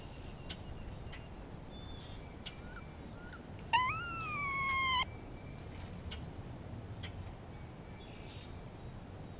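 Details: A grey squirrel gives a single long, whining call in spring, reacting to a hawk in the area. The call swoops upward, then holds level for more than a second, with soft scattered chips and rustling around it.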